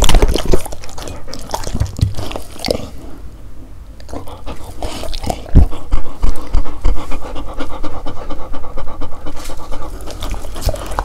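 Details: Dogs trying to eat various fruits: irregular chewing and mouth noises, then steady rhythmic panting building over the last few seconds, recorded close up.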